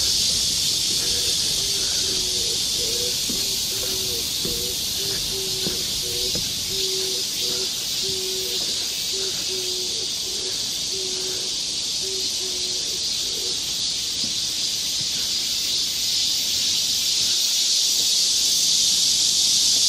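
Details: Dense summer cicada chorus fills the woods of Galsan Park in Seoul's Mokdong area: an unbroken high, hissing drone, with a faint lower series of short tonal pulses in the first half.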